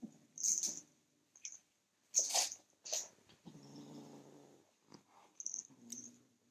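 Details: Young male cat guarding his toy against a reaching hand gives a low, steady growl lasting about a second midway, amid sharp rustling and clattering bursts of play or handling.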